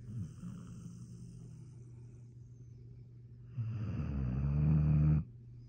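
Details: Redbone Coonhound. A Redbone Coonhound snores in deep, rumbling tones that sit low and steady. Near the end a louder, rattling inhalation builds for over a second before stopping abruptly.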